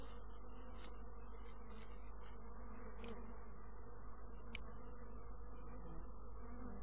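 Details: Honey bees produce a strong, unbroken low buzzing drone, with a couple of brief sharp ticks and a faint high whine.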